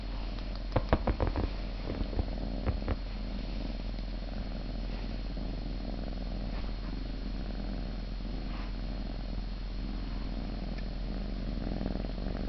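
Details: Siamese cat purring indoors: a steady low rumbling drone throughout, with a few sharp clicks and rustles near the start.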